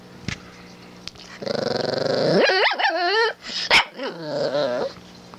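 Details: Sleepy Shih Tzu puppy vocalizing while yawning: a drawn-out, rising then wavering whine-groan with a brief break, then a lower bending moan; a woman talks softly to the puppy afterwards.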